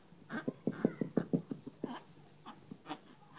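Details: Chihuahua puppies with blue and ginger coats in Minsk; a quick burst of about seven short, high yaps within under two seconds, followed by a few softer, scattered yips over a faint room hum.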